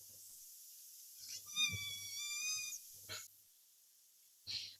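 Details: Jeremiah, a black pot-bellied pig at a farm animal sanctuary, makes cute noises: a steady, high, whining squeal framed by breathy snorting puffs.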